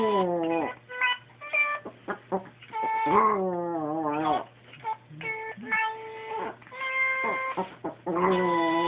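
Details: A Pomeranian singing along when a squeezable singing toy is pressed: harmonic toy voices alternate and overlap with wavering, sliding dog howls, with a steady low hum underneath.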